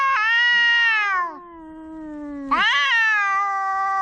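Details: Pet cats of one home in a standoff quarrel, trading yowls: a harsh wail falling away, a low droning moan, then a sudden loud rising yowl that holds steady.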